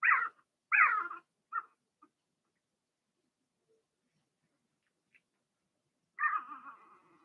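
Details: Young Blenheim Cavalier King Charles Spaniel puppies in a home whelping pen, Remy's litter: two loud wavering whines in quick succession with a few fainter squeaks, a long silent gap, then one more drawn-out whine trailing off.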